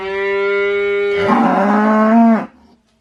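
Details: A single sustained cow moo lasting about two and a half seconds. It starts steady and even, then turns rougher and louder before cutting off abruptly.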